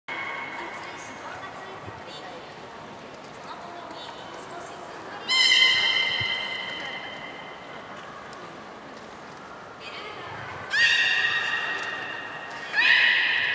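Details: Captive beluga whale at Nagoya Port Aquarium, Japan, on 30 March 2019, around feeding and playtime. Three short bursts of bright, harmonic whistles come at about 5, 11 and 13 seconds, each fading off. Low crowd murmur fills the gaps.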